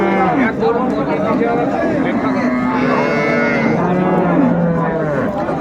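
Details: Cattle at Ambari market, Dinajpur, Bangladesh, where cows with calves are sold, 15 April 2024; several drawn-out lowing moos overlap, pitch sliding gently, amid constant crowd chatter and a man talking.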